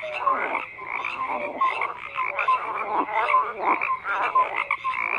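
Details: Frogs croaking in a crowded chorus, raspy pulsed calls overlapping with short clear tonal notes recurring roughly every second.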